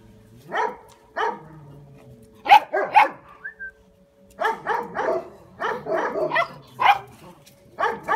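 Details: Kuvasz puppies from a litter giving short, high yappy barks in bursts, several overlapping, with brief pauses between volleys and a faint low hum beneath.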